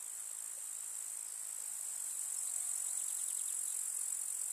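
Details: Grasshoppers in a summer meadow in the village countryside among wildflowers: a steady, shrill, very high buzzing chorus that swells slightly louder midway, with faint rapid ticking pulses layered over it.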